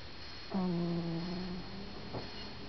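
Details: Stan the cat asleep and snoring: a single low, droning snore about one second long with a steady buzzy hum and faint overtones, against a quiet indoor background hiss.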